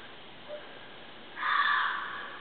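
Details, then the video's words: Female mountain lion caterwauling at night near a scrape site in heavy brush, 150 to 250 ft away, before turning and walking off; a brief faint note, then a loud harsh, broad wailing cry lasting about a second. "Mtn Lion chirp and caterwauling"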